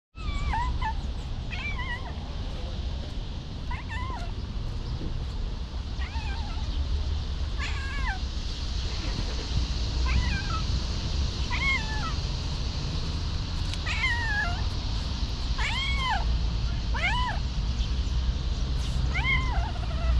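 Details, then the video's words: Homeless stray cat in Ras Al Khaimah, United Arab Emirates, meowing repeatedly, short rising-and-falling mews coming roughly every one to two seconds over a steady low rumble of traffic. "Homeless cat in Ras Al Khaimah, UAE"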